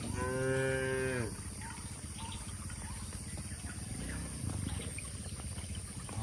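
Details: Tame cattle on the way to an open field in a village setting. A strong, harmonic-rich moo opens the clip and ends after about a second. A continuous low mechanical rumble follows and fills the rest.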